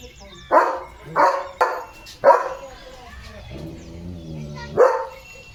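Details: Morning play of Leo the German Shepherd: a quick run of four sharp barks, then a pause filled with a faint voiced sound, then one final bark.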